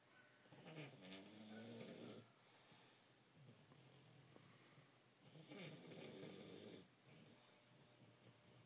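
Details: Sleeping dog Mozart, nearly one year old, snores soundly. Long, raspy inhalations rumble at regular intervals of about four to five seconds, each with a breathy hiss, between softer quiet stretches.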